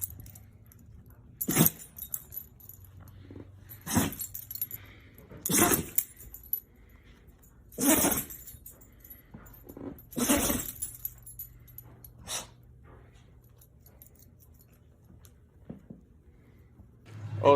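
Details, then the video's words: Dog sneezing in a compilation of funny sneezes: sharp broadband bursts about every two to three seconds, some doubled, separated by quiet with low background hum. "Funny dog sneezing"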